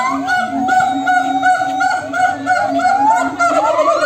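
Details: A noisy group of monkeys answers one another. Steady low hoots pulse rapidly while higher wailing notes glide upward near the end, forming a dense, overlapping chorus.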